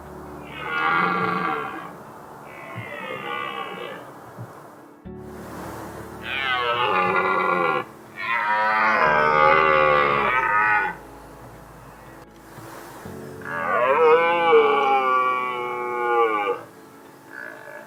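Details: Red deer stags in the 2022 autumn rut in mountains, about ten stags nearby with their hinds: hoarse, drawn-out bellows rising and falling over several seconds, signalling presence to females and warning rival males away from the harem.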